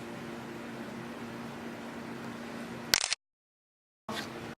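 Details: Steady indoor hum like air conditioning, with a brief rustle and a sudden silent gap, no animal voice heard.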